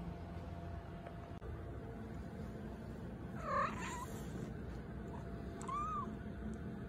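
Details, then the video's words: Pet cat making cute noises as it wakes up after sleeping: two short, soft chirping mews, the first near three and a half seconds with a wavering tone, the second a brief arched chirp near six seconds, over a steady low room hum. "Cat Makes Cute Noises When They Wake Up After Sleeping"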